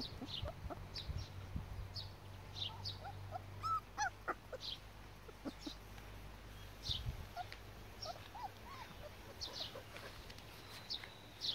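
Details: Border Collie puppies of two litters aged four and six weeks at Nebeský sen kennel give scattered short yips and thin whimpers across the recording, over a steady low background hum.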